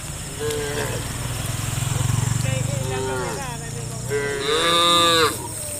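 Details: Herd of tame cows moving toward the farm pen: several overlapping moos, a low rumbling call underneath, then a louder rising bellow near the end, insect-like hiss in the background.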